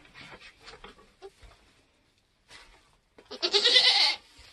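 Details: A Nigerian goat in labour on a homestead during kidding season gives one loud, harsh, drawn-out bleat near the end, after soft murmured human voices and quiet gaps.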